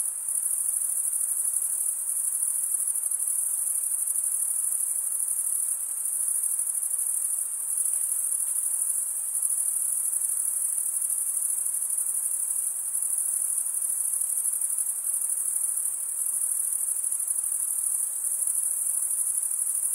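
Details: Male crickets stridulating, rubbing wing against serrated wing vein, produce an unbroken high-pitched trill held at constant loudness across the whole stretch, without other animals or background noise.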